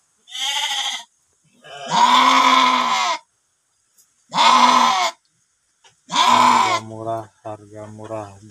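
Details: In a pen holding two sheep (domba jalu) for sale, three drawn-out, tremulous bleats sound a few seconds apart, then a man starts talking over low background noise.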